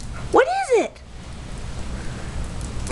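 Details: Talking Maltese dog gives one arched, whiny yowl that rises and then falls over half a second, followed by quiet room noise and a faint click at the end.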